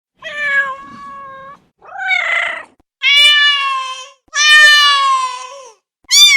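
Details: Domestic cat meowing: five harmonic meows of about a second each, separated by short pauses, mostly steady in pitch with one rougher, noisier call in the middle.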